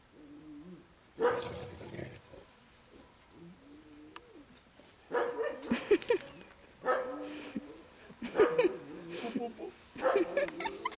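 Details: Two dogs, a Boerboel and a Tosa, playing together: a soft harmonic growl and whine early on, then short loud bursts of barking near two, six, eight and a half and ten seconds, with rough growly tones between.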